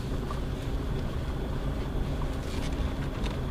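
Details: A night drive, probably on a jungle road, with steady low engine and road rumble and faint wind noise throughout; no animal voice is heard.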